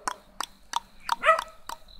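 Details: Small black dog giving quick, soft barks about every third of a second, ending in a brief higher yelp, with a faint hum underneath.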